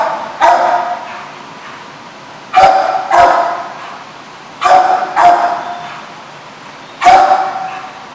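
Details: Dog barking on 7/3/15: loud barks given singly or in quick doubles, spaced about two seconds apart, each a harsh sharp burst fading with echo, over a steady low background hum.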